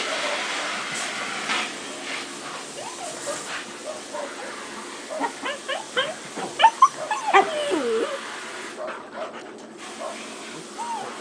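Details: Six-month-old Akita Inu playing with another dog and several puppies; a burst of short yips and squealing whines, pitch bending up and down, crowds the middle of the recording over steady background hiss and scuffling.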